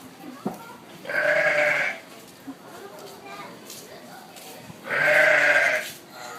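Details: Sheep at Honolulu Zoo, upset about a llama being taken out for a walk, calling twice with loud drawn-out harsh bleats about four seconds apart, with low background chatter from people.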